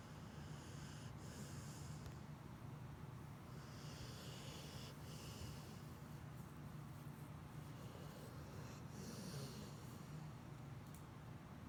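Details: A sleeping pit bull snoring: steady low rumbling breaths with soft snorts over a continuous noisy background.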